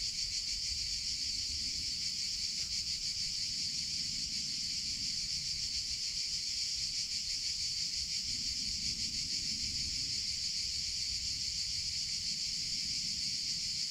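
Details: Summer cicada chorus, an unbroken shrill electric buzz sustained at a high, even pitch for the whole stretch, with a quiet low-frequency rumble in the background.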